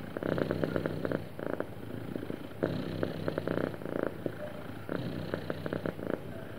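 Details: Happy cat giving a soft, even purr, a low vibrating rumble in repeated phrases about two seconds long separated by quieter breathing pauses.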